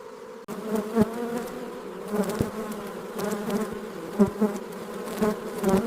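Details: Honey bees working busy beehives, a steady droning buzz with a low hum and clear overtones throughout, swelling in brief louder pulses roughly every second.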